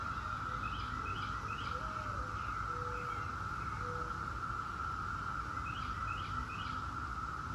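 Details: Seventeen-year periodical cicadas of Brood X forming a steady, unbroken droning hum at one even pitch, with repeated short rising bird chirps in bursts of three and a few low whistled notes over it.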